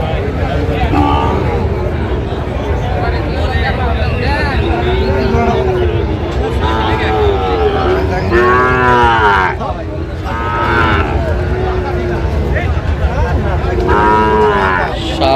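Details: Sahiwal bull calves at a busy cattle market in Chittagong, Bangladesh, in January: several arching, rising-then-falling moos, loudest around the middle and end, over constant crowd chatter and traffic hum.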